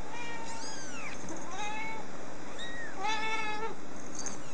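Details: Rescued baby kitten that had escaped, giving a series of about four high, thin mews, some falling in pitch, over a steady background hiss.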